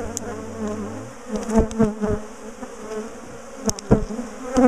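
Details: A big colony of bees buzzes in a low, even drone as beekeepers split and move their top bar hive. A brief deep tone opens the recording, followed by several sharp knocks and faint talking.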